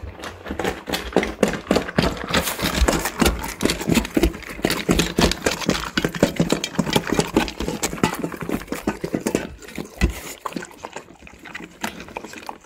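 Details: Raw-fed Labrador Retrievers, black male Tico and yellow male Remi, crunching raw chicken bones and quail eggs over rice; loud, rapid, irregular crunches and wet smacking fill the whole stretch without pause.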